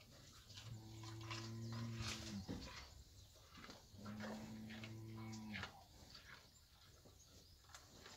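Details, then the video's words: Fighting bulls and young bulls lowing: two long, deep moos about two seconds each, the first followed by a brief thump, then rustling background noise. "ganado bravo toros y novillos"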